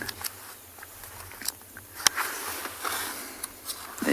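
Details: Faint speech and scattered clicks and rustles over low background noise, with no animal calls.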